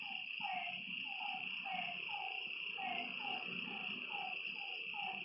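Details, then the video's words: Night frogs at a lakeside give short, drooping notes roughly twice a second, while a dense, ringing insect drone fills the background. "Lakeside night creatures and frog sounds"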